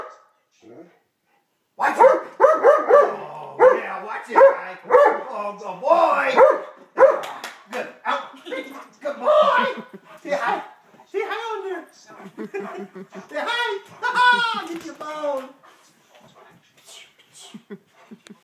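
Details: Pet dog turning from sweet puppy into playful 'attack dog' mode, rolling around: a dense run of loud, harmonic barks and growly yips for about thirteen seconds, some rising into whiny tones near the end, then quiet.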